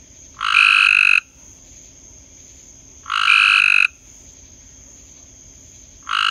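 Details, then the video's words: Frog at night giving harsh, buzzy croaks lasting under a second, about two and a half seconds apart, a third just starting at the end, over a constant faint high-pitched hiss. "Frog at night"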